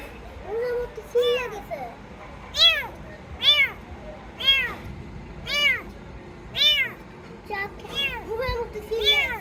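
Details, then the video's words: Rescued kitten crying persistently: around ten high, rising-falling mews spaced roughly a second apart, a few softer lower mewls at the start and end, over a light background hiss. "Cats Meowing"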